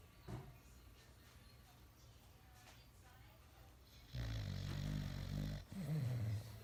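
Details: Sleeping dog with its tongue out snoring: a quiet stretch, then a long low rumbling snore followed by a shorter snorting one near the end.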